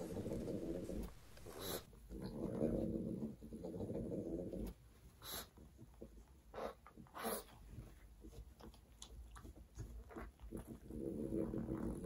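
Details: Mars the pug snuffling and breathing heavily over breakfast of croutons and bacon. Rough, low, rhythmic snorts swell and fade in long bursts, with a few crisp crunches of food between them.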